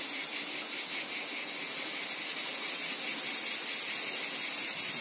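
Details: Cicadas calling in a wheat field: a dense, high, hissing buzz, steady for the first second and a half, then louder and pulsing about four times a second.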